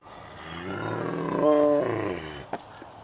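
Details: A tiger, recorded close up, gives a deep, rough roar that swells to a strained, tonal peak and then fades.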